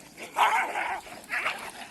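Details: Pet dogs suddenly fighting street dogs during a morning walk; two rough, broadband snarl-barks, a long one then a shorter one, while a man yells at them.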